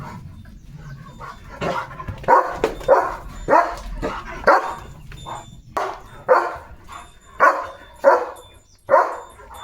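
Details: Leo, a German Shepherd romping in open green fields with his owner, barks irregularly: a few faint barks at first, then about ten louder rough barks at uneven intervals, with low rumbling noise early on.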